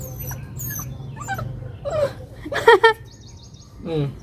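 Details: Labrador puppy giving thin, wavering whines that rise and fall, scattered over about four seconds, the loudest pair bunched near the middle, with soft human voices and household noise underneath.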